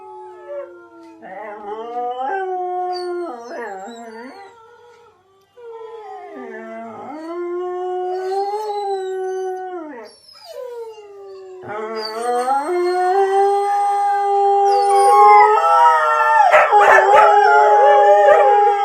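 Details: Dog howling in long, wavering tones with strong harmonics, sliding up and down in drawn-out phrases broken by short pauses; the last part grows louder and denser, with overlapping voices and rougher sound.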